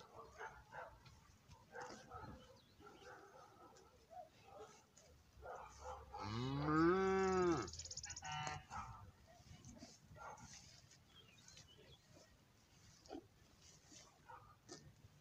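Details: A cow in a cattle herd with calves and bulls gives a single loud, drawn-out moo that swells and falls over about two seconds.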